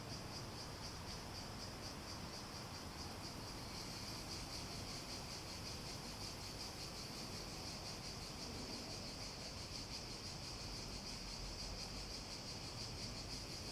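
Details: A continuous shrill cicada chorus, one even high-pitched buzz with a faint wavering shimmer, running without break over a soft background hiss.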